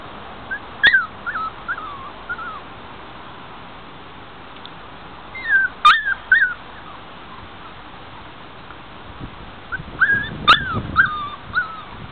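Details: Five-week-old puppies from a 2009 litter, penned outdoors in a front yard on a mild afternoon: short clusters of high, wavering whimpers and yips come in three bursts, separated by quieter stretches with faint background hiss.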